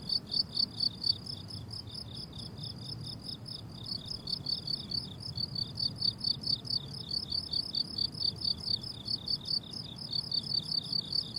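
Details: On a flowering summer meadow, crickets give a continuous high, rhythmic chirping of quick pulse groups, about two bursts each second, over a quiet low ambient murmur.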